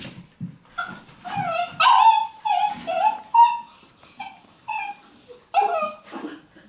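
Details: Sealyham Terrier puppy whining steadily: a string of high, wavering whimpers, some sliding down in pitch, repeated close together with brief pauses, with no other sound of note.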